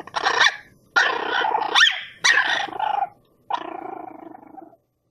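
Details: Dog giving long harsh growling barks, four rough bursts in quick succession followed by a drawn-out fading rasp.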